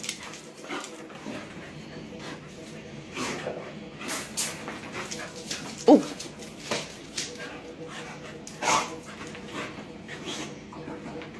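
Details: Three pet dogs, one of them a puppy, playing together indoors; scattered short yips, whimpers and soft barks over scuffling paws and thumps, with a person speaking now and then.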